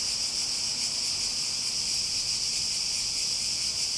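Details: Cicadas in a steady, unbroken high-pitched buzzing drone, a dense shimmering hiss with no pauses or rhythm changes across four seconds.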